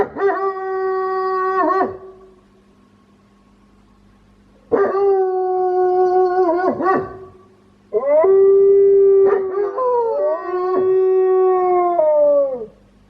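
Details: Wolfdog kept at home howls with an odd, quirky voice: steady, rich-toned howls lasting about two seconds each, separated by pauses, with later howls wavering and breaking between pitches.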